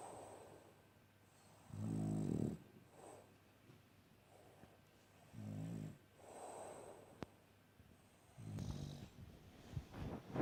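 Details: Snoring French Bulldog, asleep. Three short, gravelly, low snorts come roughly every three to four seconds, separated by softer hissing breaths and a few light clicks.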